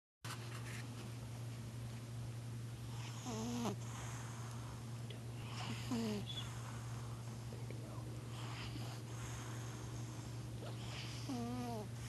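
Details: Domestic cat snoring while napping on a couch indoors; soft breaths with short whistling, wavering nasal squeaks about every three to five seconds, under a constant low electrical hum.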